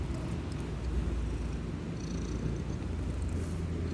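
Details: Sleeping kitten snoring loudly: a steady, deep, low rumble with a soft grainy texture that continues without a break through the short stretch, and no other clear sounds.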